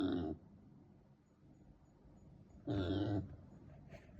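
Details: Pet female micro pig living in Miyakonojo, Miyazaki Prefecture, Japan, giving an unusual, never-before-heard call: two short, low, rough grunting squeals about two and a half seconds apart, with quiet room noise between.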